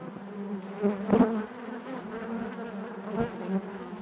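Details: Honey bees humming inside the hive, a steady low buzz with one loud close pass around the middle and another fainter flyby later.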